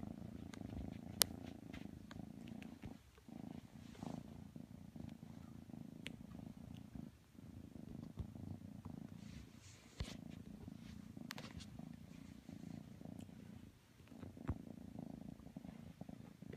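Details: A kitten named Matsumoto snuggles with Tanka the pit bull, purring in a steady low drone broken by brief breath pauses, with occasional sharp clicks and rustles.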